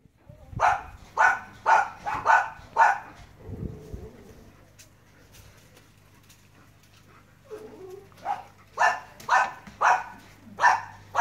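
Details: German Shepherds barking as a cat narrowly escapes them: a run of loud, deep barks about twice a second, a pause filled with low rumbling and a brief voice, then a second volley of rapid barks.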